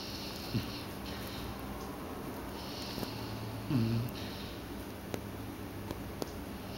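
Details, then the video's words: Sleeping puppy named Doodle snoring indoors in a small room, soft breathy hissing swells recurring about every two and a half seconds, with a low faint snort near the middle and occasional small clicks. "Doodle snores!"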